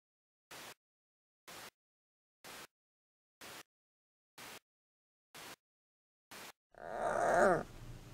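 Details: Giant panda cub Yuan Zai's recorded calls, played from a Bluetooth speaker inside a plush cub toy at the zoo to keep mother Yuan Yuan in a nursing state; seven evenly spaced ticks, then a brief harsh, wavering squeal.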